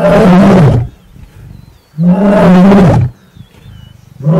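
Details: Mating lion in the Masai Mara giving loud, low, rasping roars, each lasting under a second, with breathy grunts in the pauses and another roar starting at the end.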